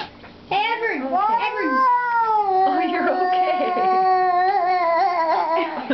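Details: Talkative pet cat calling loudly in a small room: a person speaks briefly, then a sustained, wavering, yowling meow holds steady for about four seconds with a slight vibrato.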